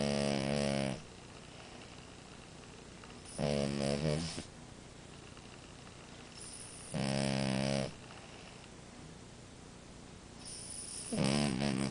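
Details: Snoring French Bulldog named Amora: four loud, rattling, harmonic snores, each lasting about a second, come at steady intervals of roughly three and a half seconds, separated by near silence.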